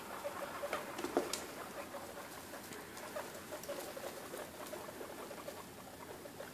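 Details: Young guinea pigs, two and a half weeks old, having dinner indoors: steady soft rustling and crunchy chewing clicks throughout, with a couple of brief, thin squeaks around the one-second mark.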